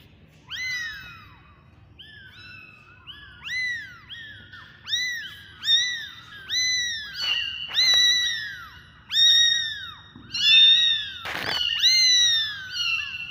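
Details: Several kittens mewing in high, thin calls that rise then fall. The overlapping calls come about once a second, with louder ones toward the end and a sharp knock near the close.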